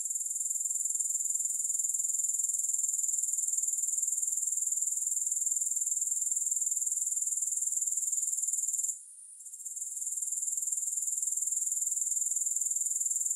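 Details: Grasshoppers keep up a shrill, rapidly pulsing trill at a constant level. It pauses briefly about two-thirds of the way through before resuming. No music is heard.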